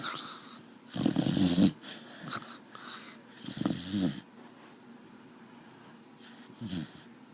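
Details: A dog snoring in its sleep, wheezy rasping inhalations in two strong bursts, followed by softer, fainter breaths and quiet gaps.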